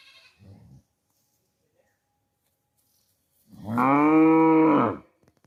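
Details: Cow mooing in a village setting: one loud, steady, drawn-out moo lasting about a second and a half, rich in harmonics, preceded by a brief low grunt and otherwise quiet surroundings.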